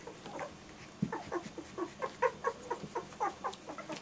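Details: Several German Shorthaired Pointer puppies give a rapid run of short, high whimpers and squeaks, about four per second, overlapping voices with a faint low hum underneath.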